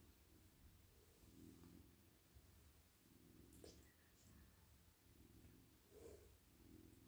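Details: Soft male domestic cat lying in a lap, purring while petted over his head, neck and whole body; a quiet, low rolling purr rising and falling in regular breaths, with faint light rustles.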